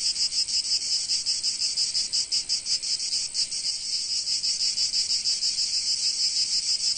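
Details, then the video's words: In sunny Provence, many cicadas keep up a steady shrill high whirring, softly beating some three times a second, slightly uneven in loudness, with no other noises. "Sounds of Cicadas in Sunny Provence"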